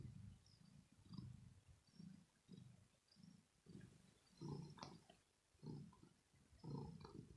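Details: Deep throat purr from a female cat resting after play, a sign of well-being. Soft low rumbles rise and fall in steady breath-paced waves, a little stronger toward the end, in a quiet room.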